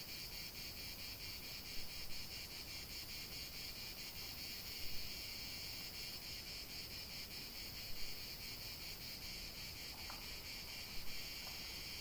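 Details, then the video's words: Unbroken buzzing of many cicadas outdoors, high and even, with a slow pulsing texture and a few short louder bursts recurring roughly every three seconds. "chant des cigales"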